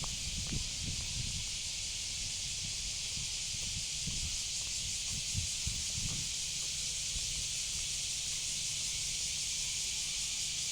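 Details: Cicada (semi) droning in an unbroken high sizzling tone, accompanied by scattered low knocks and rustles in the first six seconds.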